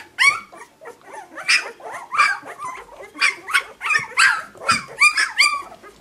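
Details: A puppy chorus of shrill, bending whines and squeaky yelps comes rapidly, several per second at the busiest points.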